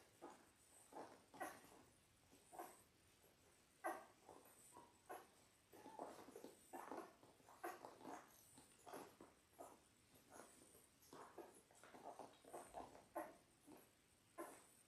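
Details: A litter of six Labrador Retriever puppies, ten days old, on an indoor puppy cam: a steady run of brief whimpers and squeaky yelps, several per second at times, some louder peaks standing out.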